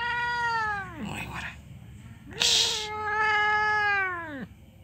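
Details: Orange domestic cat, angry at being kept from food, gives two long, drawn-out meows, the first bending downward at the end, the second held steady then falling, with a brief hiss between them.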